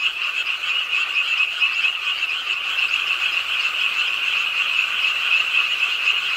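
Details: Late on a rainy night beside a pond in Ingye Art Park, an urban park in Suwon, many frogs call together in a continuous shrill, buzzing chorus over steady rainfall.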